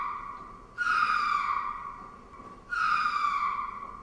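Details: Ring-tailed lemur giving two drawn-out, harmonic wailing calls, each under a second long and gently falling in pitch, separated by a quiet gap of about two seconds.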